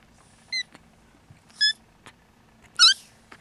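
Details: Siamese kittens trying to nap beside their mother, some unable to sleep and waking their siblings: three short, high-pitched harmonic mews, the last loudest and slightly longer, spaced about a second apart over a quiet indoor background.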